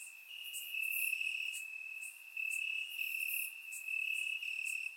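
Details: Warm summer night in Bulgaria with crickets chirping in the grass: a constant piercing trill, layered with faint higher pulses, its loudness stepping up and down in waves.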